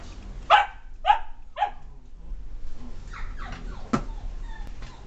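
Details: Red male miniature dachshund giving three sharp barks about half a second apart, followed by softer, higher yips and whines.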